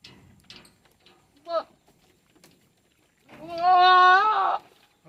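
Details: A Tellicherry goat on a farm gives a brief nasal note, then after a pause one loud, sustained, wavering bleat lasting over a second, with faint rustling before it.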